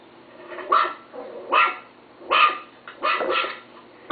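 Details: Small pet Chihuahua barks: four or five sharp, high yaps spaced under a second apart, some slightly doubled.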